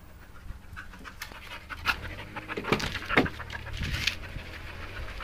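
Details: Belgian Malinois dog panting in quick breathy bursts, a few louder huffs clustered near the middle, over a low steady background rumble.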